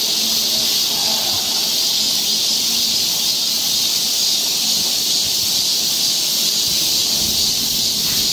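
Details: Steady shrill buzzing of cicadas in a Korean summer forest near Seoul, one continuous high wash of sound with no pauses and a little low background murmur.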